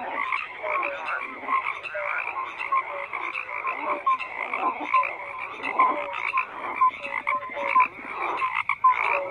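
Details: Many frogs croaking together in a busy chorus, short repeated tonal notes and raspy pulsed calls interleaving steadily throughout, nothing else audible.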